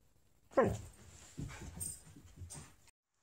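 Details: Siberian Husky 'talking': a sudden whining yelp that slides steeply downward, then a run of low grumbling, muttered vocal bursts over roughly two seconds before it falls quiet.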